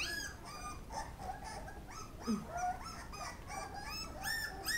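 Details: Feeding Pit Bull puppies make bursts of thin, bending whines and squeaks, some rising and some falling, crowded together over a soft low hum.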